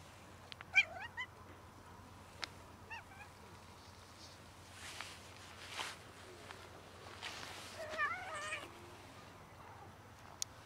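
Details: Domestic cats of one family, trying to mate and then eating; several short, faint mews scattered through the recording, with clicks, rustling and soft background noise between them.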